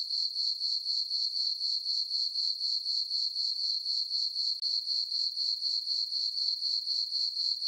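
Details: Crickets in a summer meadow at night, full moon overhead on a farm, keep up a thin, high, tinkling chirp that throbs steadily about four times a second, unchanging and free of other noise.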